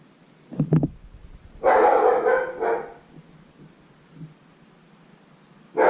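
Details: Resident German Shepherd at home, barking in the background during motorcycle repair work; a loud, harsh bark of over a second is followed by quiet and a last sharp bark at the end, with faint clicks of tools earlier.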